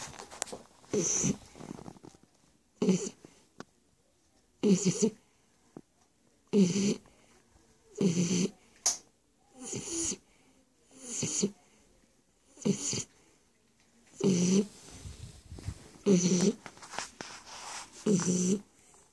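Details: Shar Pei named Stefani snoring: rough, rasping snores with a low humming core and hissy upper noise, repeating roughly every one and a half to two seconds with short silent pauses between breaths.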